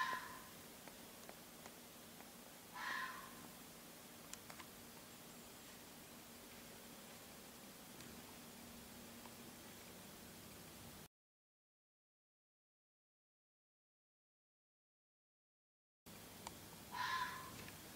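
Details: A fox barks very loudly outside at about 1:30 at night, giving a few short, hoarse barks spaced several seconds apart against a quiet background; the calling kept up for about 20 minutes.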